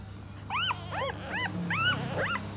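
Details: Four puppies feeding from their mother while she cleans them; five short arched squeaky whimpers rising then falling, spaced about half a second apart, over a low mechanical hum.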